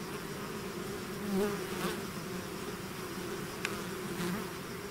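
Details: Swarming bees out of the hive produce an even, low buzzing hum; a bee flies close and swells louder at about one and a half seconds, with faint clicks later.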